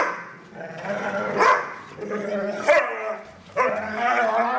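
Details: Two foster dogs, Maddie and Stella, playing; the bigger Stella makes strange noises during play. Three harmonic growling moans with sharp onsets, each about a second apart, over continuous low rumbling.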